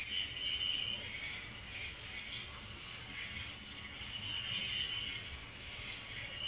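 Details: Crickets at night keep up an even, high, ringing trill that never breaks. A fainter secondary tone comes and goes at the beginning and again near the end.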